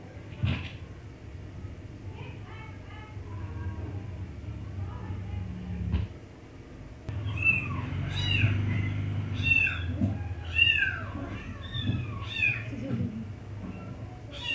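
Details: Pet cat being teased: faint murmurs at first, then a rapid run of high, arching meows and squeaky mews tumbling over each other in the second half, over a low background rumble.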